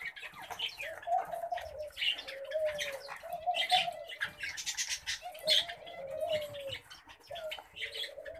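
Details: Pet common babblers giving harsh, buzzy chattering notes in rapid bursts, over low, drawn-out hooting tones that swell and fade about every two seconds.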